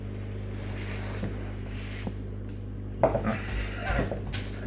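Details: Low indoor hum with soft knocks, then louder rustling and handling noises toward the end, with no animal sounds heard.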